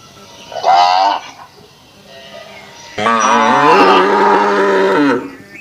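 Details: Indian cow on a village farm in Assam, India, giving two loud moos: a short harmonic-rich one, then a longer, louder drawn-out bellow with a pitch that falls slightly at the end.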